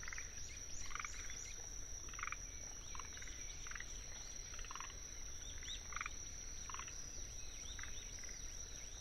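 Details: Forest green tree frogs (Rhacophorus arboreus) give short, rattling, chuckling calls over a steady high trill of Anaxipha pallidula crickets in a wetland in Tsuruoka, Japan, 19 June 2021.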